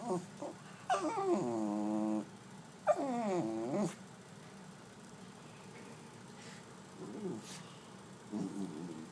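A Pembroke Welsh Corgi gives drawn-out, wavering whines and grumbling vocal sounds.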